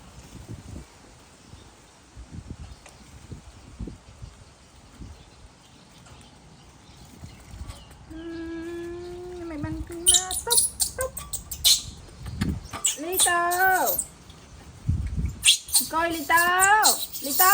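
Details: Baby monkey throwing a tantrum as its mother leaves: after quieter stretches, loud wavering, harmonic screams rise and fall in repeated bursts from about eight seconds on, with Khmer speech and handling noises nearby.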